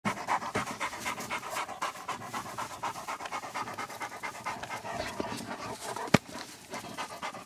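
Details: Puppies at Milangimbi panting steadily, a fast run of breathy, raspy huffs at about four per second with uneven rhythm, plus a single sharp click near the six-second mark.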